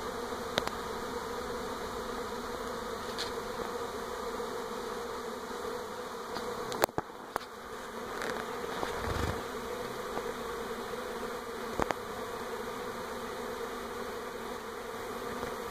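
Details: A Western honey bee swarm moving from an old to a new hive around a home in NE Portland in 2018 gives a dense, steady drone of many wings, with a few sharp clicks.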